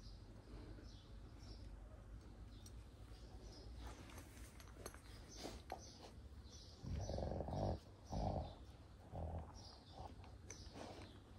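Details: Kangal puppies, eleven months old, in Alanya, Antalya, Turkey, on 16 June 2024. Quiet, muffled background, then three low, rough growly bursts between about seven and ten seconds.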